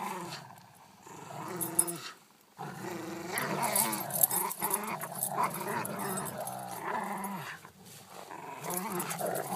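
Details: Two dogs, a Corgi and a Rottweiler, growl continuously during play fighting: deep, rumbling snarls with a quiet gap around two seconds, then sustained, rising-and-falling growling interspersed with huffing breaths and scuffle sounds.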